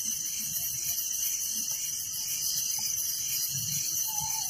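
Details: Night chorus of village crickets, a continuous shrill high buzz with faint rhythmic pulsing and no break, a soft whistle appearing at the very end.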